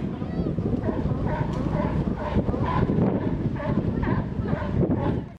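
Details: Pier 39, San Francisco: a group of sea lions barking, with rough, nasal barks repeated several times a second by many animals at once, over a steady murmur of people and wind.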